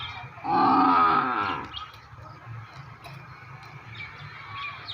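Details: Buffalo: one loud, hoarse, harmonic bellow lasting just over a second, strained and slightly wavering, followed by low rumbling background noise and faint high chirps.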